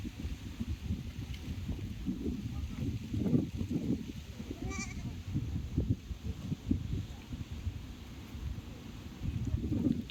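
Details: Goat bleating: several short, rough, low bleats, loudest around three and five seconds and again near the end, over a steady low rumble of outdoor background noise.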